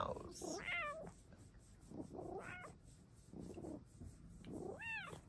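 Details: Female Bengal cat indoors wanting a cat cave, meowing with variation tied to time of day and sleepiness; three short rising-falling meows over five seconds, the last one clear and arched, with a person speaking softly between them.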